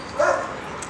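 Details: One brief, bright dog yip comes early, then fades into steady low hiss and quiet room noise while someone speaks gently nearby.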